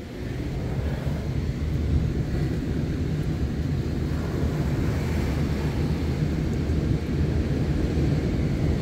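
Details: Loud, steady low rumble of wind or an engine outdoors, with no distinct calls or voices standing out.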